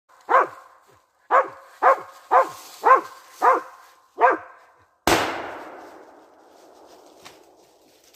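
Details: Smart dog hunting squirrels: seven sharp, loud barks in quick succession about every half second, then a single sharp loud bang followed by a fading rumble and quiet.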